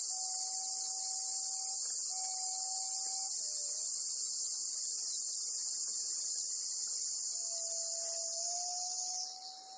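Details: Black cicada trapped by a golden-web spider, Amami Oshima, Japan: a long unbroken high-pitched hissing buzz lasts about nine seconds before fading out, over an intermittent low whistled tone.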